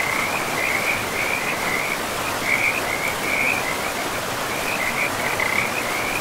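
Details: Rattling frog trills by a river in pristine forest, short bursts of high, pulsing notes coming in quick clusters with brief gaps, set against a steady wash of rushing river water.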